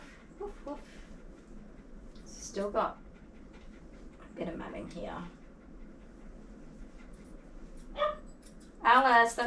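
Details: During a grooming session, a dog gives scattered barks in short, harsh bursts: a few single sharp yaps, then a louder cluster near the end. People talk quietly nearby over the hum of an indoor room.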